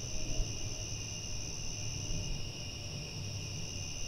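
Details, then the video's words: Night crickets produce a constant, even high-pitched trill in layered tones, with a deep murmuring rumble below and a couple of soft thumps at the start. "Crickets At Night"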